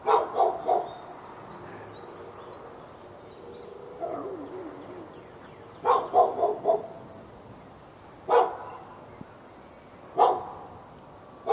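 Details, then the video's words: Dog barking at the dog next door in Raleigh, North Carolina, on February 15, 2012, all morning into the afternoon: quick doubled and tripled barks, then single barks every two seconds, over steady background hiss. "Barking Insanity!"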